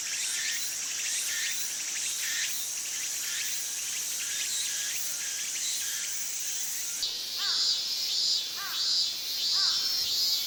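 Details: Tsukutsuku-boshi cicada in Japanese summer, its buzzy phrases repeating about twice a second, then shifting into louder, separate rising whistled sweeps against a constant high insect drone.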